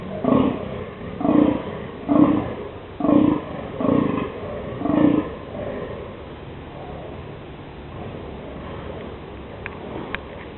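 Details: Male deer barking in the dunes during the mating season, 11 October 2008, announcing the rut: six loud, hoarse roaring barks roughly one per second, then quiet with light background noise.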